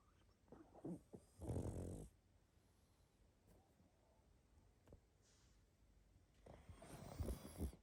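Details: Pug asleep, snoring and snuffling: two separate raspy, low breaths about five seconds apart, each lasting around a second, with faint soft snuffles in the quiet between them.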